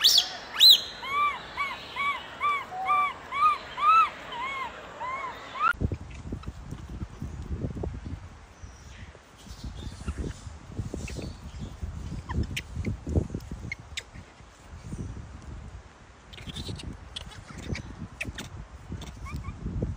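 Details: Wild baby macaque crying loudly after being bullied by its mother: a rapid run of arched, tonal wails, roughly two per second, for about six seconds, then the cries stop and only rustling, scuffing and soft thumps remain.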